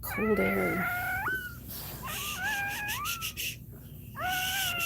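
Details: Cane Corso dog crying indoors while another dog, Cashmere, is in labour; long, high, wavering whines with stepped rises in pitch, several in a row separated by brief pauses, with faint room noise behind.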